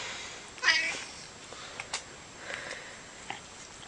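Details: A domestic cat being petted gives one brief, high, chirping trill, followed by faint clicks and rustles.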